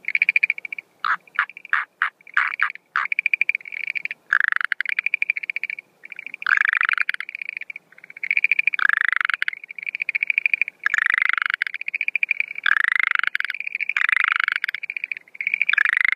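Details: A male Schlegel's green tree frog calls at night at the start of the breeding season, 17 April 2013, giving rapid, rattling pulsed trills in short repeated bursts; no female seen.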